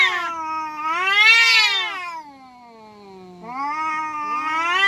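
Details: Indonesian kampung cats fighting each other. Continuous yowling rises into a loud, strained peak, sinks into a falling, drawn-out moan, then swells again into another rising howl.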